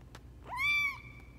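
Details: A single drawn-out, high meow from Lucy, a rejected runt kitten fostered for a local shelter, rises quickly, holds steady, then trails off over a faint low background hum.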